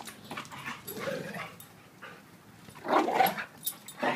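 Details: Play-wrestling between a 7-year-old blue/red pitbull and a 7-month-old German Shepherd: soft scuffling and huffs give way to a burst of short, loud yelping barks near the end, with a brief yip closing.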